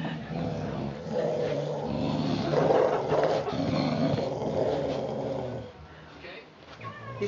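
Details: Play between four-week-old puppies Mama Valentine and Hoyt, recorded March 18, 2013: low, throaty growling swells and rumbles for around five seconds before quieting, while voices chat and comment nearby.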